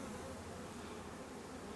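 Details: Honey bees from a drone-laying hive, a colony with a large bee population, buzzing in a steady low hum with no breaks.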